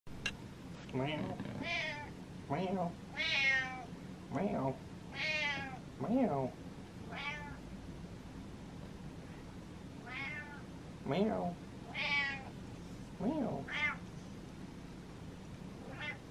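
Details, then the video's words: Pet cat meowing at its owner as if saying let's go, leading the way; a series of repeated rising-falling harmonic meows, about one every second or two, some drawn out, in a quiet indoor setting. "Cat Tells Dad Lets Go"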